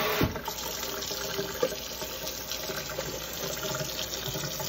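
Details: Running tap water splashes steadily into a sink, with faint clinks and knocks. No animal voice is heard.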